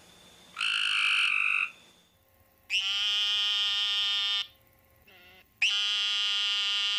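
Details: A frog gives loud, drawn-out nasal wails, each lasting one to two seconds, described as crying or a mating call.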